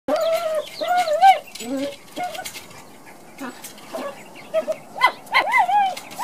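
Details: Pet Chihuahua playing with a toy bowling ball, making wavering, whiny vocal growls in short bursts that rise and fall, with quieter gaps and rattling knocks from the toy.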